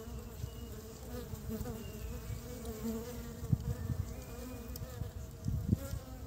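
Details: Honey bees collecting pollen to build their nest in early spring: a steady low droning hum with layered tones, swelling briefly as insects pass close near the end, over soft background noise.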